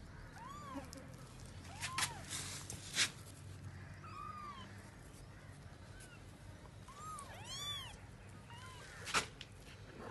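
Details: Cat apparently searching for her young, giving a string of short, arched, rising-then-falling mews, several in quick succession, with sharp clicks and faint background noise between calls.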